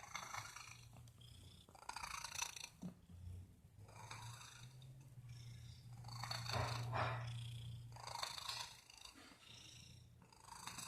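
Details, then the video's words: Domestic cat making weird noises: a steady low rumbling purr under rhythmic breathy, hissing bursts that repeat about every second, loudest near the middle. "MY CAT IS MAKING WEIRD NOISES"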